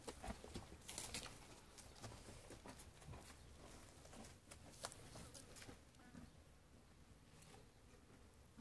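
Sheep munching food, with irregular crisp crunches and soft rustling bites.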